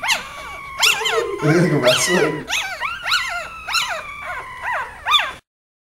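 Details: Mother dog with her four puppies, wrestling and playing; high rising-and-falling squeaky whines and yelps from the puppies in quick irregular bursts, with a lower grumbling growl in the middle, then silence at the end.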